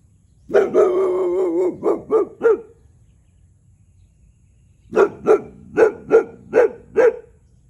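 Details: Boxer dog Tyrion, one year old, territorially barking at a neighbouring cow: a long roughened bark sliding into quick barks, then after a pause a regular series of six sharp barks.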